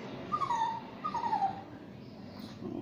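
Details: Shih Tzu and Yorkshire Terrier mix dog during a bath giving two brief falling whines about half a second apart, then quieter background noise.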